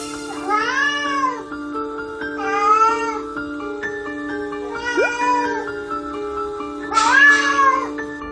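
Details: At night a pet cat repeatedly gives drawn-out, plaintive, arching meows, almost like talking, starting around its food bowl as if complaining; it has learned the exact meow note that makes its owners respond.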